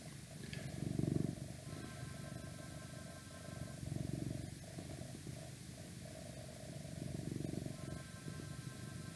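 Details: Male house cat purring softly in slow, regular swells every few seconds, the low rumble steady underneath, while faint steady tones from outside come and go in the background.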